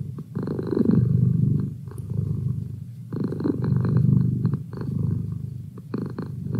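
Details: Pet cat purring indoors beside its owner during study: a steady, low, thrumming rumble that swells and eases with each breath, cycles of about two seconds, clear and close with quiet surroundings.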